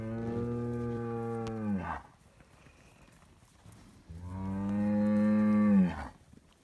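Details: Noisy Highland cattle bull on a Finnish farm, being given bread, gives two long, deep, even moos, each close to two seconds, separated by a quiet gap.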